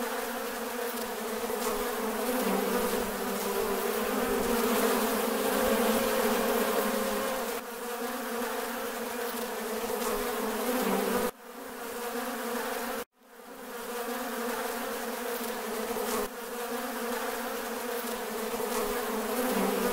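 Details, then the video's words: Honey bees swarm on a farm, their collective buzz a rich, low, steady drone. Partway through it cuts out abruptly twice, the second time into brief silence, then rebuilds to a full hum. "Relaxing Farm Bees sound- Bees Buzzing Sound Effect"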